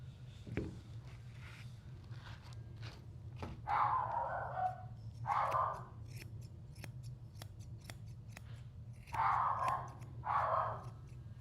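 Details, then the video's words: A mini doodle at a Tampa, Florida grooming salon, aggressive and biting, ungroomed for about three months and on only his second visit, gives muffled, mid-pitched barks in short bursts over the snip of grooming scissors. "That's our biting mini doodle who is barking."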